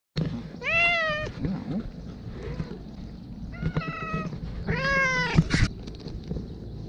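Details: Taffy, a homeless tabby cat that gets fed outdoors, meows a greeting that sounds like "hello": three clear, harmonic meows, the first and last drawn out and falling slightly. Low background rumble and faint outdoor noise run underneath.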